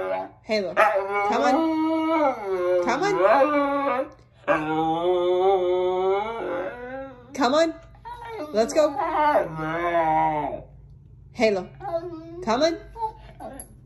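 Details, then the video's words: Siberian Husky talking back while arguing about being on the bed: series of wavering, rising and falling howl-like yowls and grumbles in bursts, with a woman's voice between them, indoors in a small room. "Mouthy Husky argues with mom about being on the bed!"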